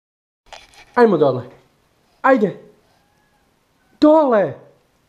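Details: Lina, a pet cat indoors, protesting at being told to get down from the fridge, which is off limits: three drawn-out, harmonic meows spaced over about four seconds, each bending up then down in pitch, in a quiet small room.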